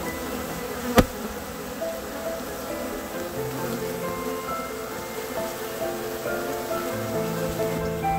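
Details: About 15,000 honey bees from a two-year-old hive in a rotting backyard wine barrel, drones among them, disturbed during removal and relocation; a steady, layered droning hum with a sharp knock near the start.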